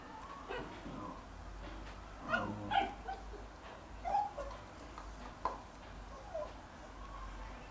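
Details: Jack Russell Terrier in a garden, the younger of two brothers, trying every trick to get a bone from the older dog: quiet whimpers and short yips scattered through the middle, over a steady low background hum.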